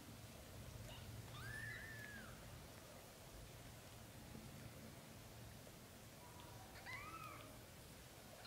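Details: Young British Shorthair kittens, under a month old, give two soft, faint arched mews about five seconds apart over a low, steady background hum.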